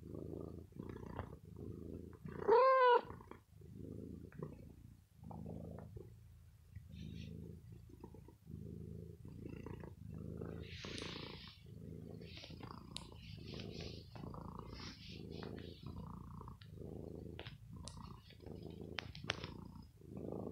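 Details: Pet cat Bella, unwell, purring while she bites and plays with clothes after being pampered. Deep pulsing purr in regular cycles, broken early by one short rising-falling meow, with light rustles and clicks throughout.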